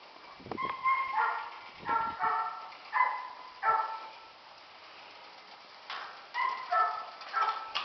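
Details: Two Catahoula pups, nine and seven weeks old, at play around the farm: clear, ringing puppy yips in short repeated bursts, each with strong overtones, with a brief pause midway before the yipping resumes.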